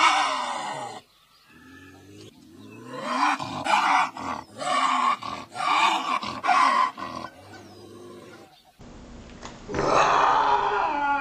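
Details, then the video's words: Harsh, drawn-out lynx screams follow one another with hardly a break, rasping and strained with wavering pitch, a quieter lower cry between them and a loud rough cry at the end. "Lynx sounds, lynx scream"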